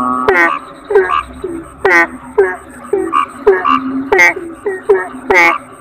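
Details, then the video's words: Kodok bangkong (Asian common toad) voices in chorus: loud, harmonic croaks that plunge downward ring out roughly every half second among softer, lower grunting calls. A thin steady high tone persists. "Suara Kodok Bangkong"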